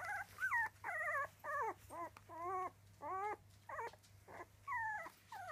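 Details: Squeaky, quavering whines from three-week-old Miniature Dachshund puppies, each cry about half a second long with wobbling pitch, repeated roughly twice a second in an uneven rhythm.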